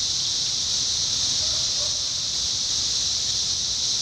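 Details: In Indiana, summer 2021, 17-year cicadas fill the air with a constant high whirring drone, unchanging in loudness, with a couple of faint lower sounds around the middle.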